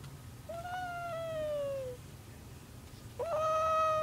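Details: Domestic cat meowing in its sleep while dreaming: two drawn-out tonal meows, the first long and slowly falling in pitch, the second starting about three seconds later with a quick rise then held steady, over a low background hum.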